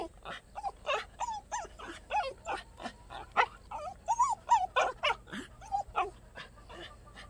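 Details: Black native Jindo dog, a rare colour, at Wondeok-ri, Gwangdeok-myeon, Dongnam-gu, Cheonan-si, producing a rapid run of excited whining yelps, each rising and falling in pitch, several per second with short breaks.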